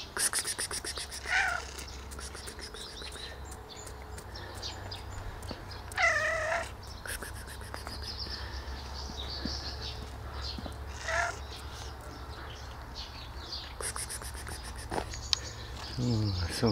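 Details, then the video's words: Dirty white street cat, hungry and asking for food outdoors; repeated loud meows with rising-falling harmonic tone at about 1, 6, 11 and 16 seconds, between stretches of low traffic-like rumble and a person's cooing voice. "White cat asks for food on the street"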